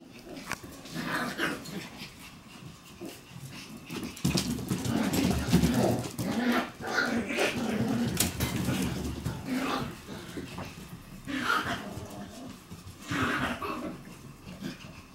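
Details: Shiba Inu puppies running around two rooms indoors; bursts of short yips and rough playful growls recur irregularly over scuffling, thumping paws and rustling, loud and busy throughout.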